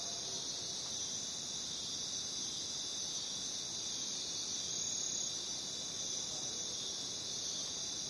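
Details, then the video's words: Chorus of crickets in the jungle, an even, sustained high-pitched buzzing trill holding steady from start to finish, slightly louder near the middle, over low rustling background noise. "Sound Effect: Jungle Crickets"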